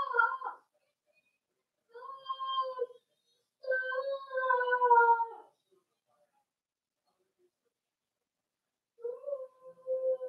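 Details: Indoor pen of young Cavalier King Charles Spaniel puppies being introduced to big dogs, 12/13/22. Drawn-out tonal whines in four bouts separated by silences, some wavering and falling in pitch.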